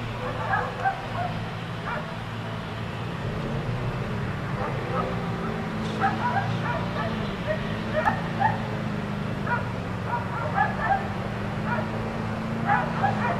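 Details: Four dogs kept outside all day by neighbors, barking in scattered bursts of short, sharp yaps, some in quick clusters, heard at a distance over a steady low droning hum.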